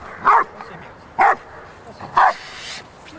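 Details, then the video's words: Female Rottweiler barking during RCI defence training preparation on 28 November 2009: three forceful, clipped barks roughly one second apart, with faint background noise between. "Cenka Défense RCI"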